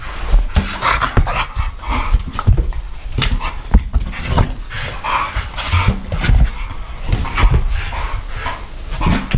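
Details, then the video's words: Old English Bulldog Bomber and French Bulldog Murphy playing with a balloon; loud, rough bursts of panting and snorting with short broadband thumps and scuffles, a bark-like burst here and there amid steady play noise. "Old English Bulldog + French Bulldog vs Balloon"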